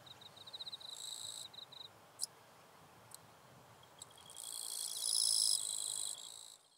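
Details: Wild eastern Japanese katydid from northern Miyagi, Japan, filmed 22–23 August 2024: a short series of quick high ticks, a few isolated clicks, then one long, loud, rasping buzz of almost two seconds over a faint steady trill.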